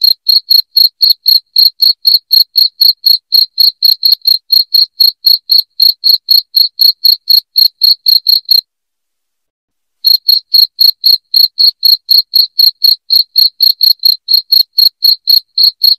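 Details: Shrill, loud cricket chirps repeated rapidly and evenly, about four per second, broken by a silent pause of roughly a second and a half in the middle; nothing else audible.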